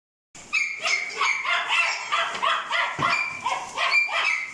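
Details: Kai Ken, a black brindle female born 1 July 2020: rapid high, harmonic yips and whiny squeals, about three every second with uneven spacing, after a short silent start; one lower thud near the third second.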